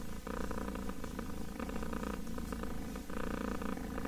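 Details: Close, loud purring from a kitten: a dense, continuous low rumble swelling in breath-length waves, with short dips between inhale and exhale.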